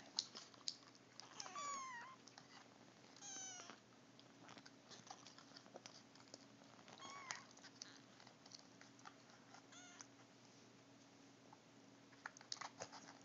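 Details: Three-week-old Siamese mix kittens mewing indoors, with several high, thin meows sweeping downward in pitch at about one and a half and three and a half seconds, then fainter cries and small clicks among quiet voices.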